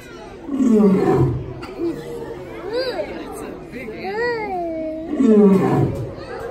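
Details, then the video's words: Hubert, a male lion born in 1999 at Lincoln Park Zoo, roaring on New Year's Day 2019 at the Los Angeles Zoo: two deep, falling roars about four seconds apart, with children's and visitors' voices rising and falling between them. "ライオンフバートの元旦咆哮 Lion Hubert Roars in New Year's day 2019"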